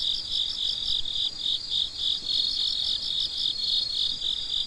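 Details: Crickets chirping at midnight, loud high trilling pulses in a regular beat of roughly three and a half per second, swelling and dipping slightly in a dense nighttime chorus.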